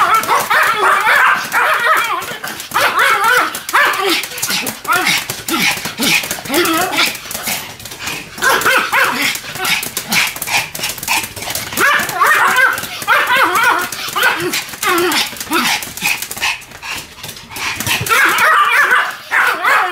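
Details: Two Pomeranians barking together in a duet: rapid, high, yappy barks overlapping almost without pause, with wavering whine-like notes between bursts and occasional short breaks.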